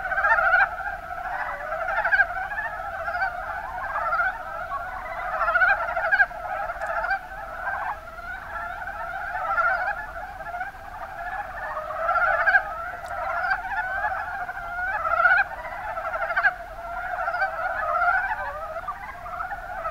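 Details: Many Mountain brown frogs, Rana ornativentris, in the Kuma basin, Kumamoto Prefecture, Japan, give a thick unbroken chorus of short throaty croaks, with louder nearby calls standing out repeatedly above the crowd.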